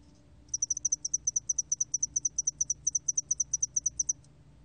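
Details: A 2020 recording of a spotted-wing hairy cricket with one sustained run of about thirty evenly spaced, shrill, high chirps lasting nearly four seconds after a brief faint start. No other sounds are heard.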